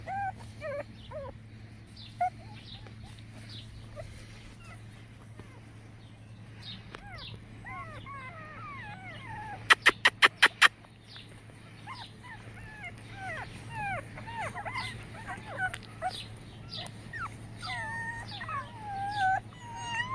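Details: Boston Terrier puppies from Mini's litter of five (Jock, Max, Blue Girl, Beast and Rusty), giving many overlapping high, arched whimpers and squeals, some falling and some rising, with a quick burst of sharp clicks midway and a steady low hum throughout.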